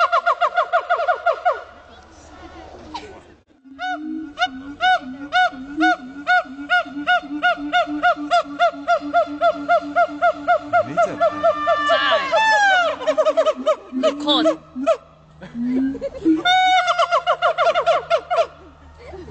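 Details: Siamang howling at Dubbo zoo in NSW: long bout of rhythmic loud hoots, a pause, then low booms and rapid steady hooting building to fast rising whoops, followed by more booms and hoots.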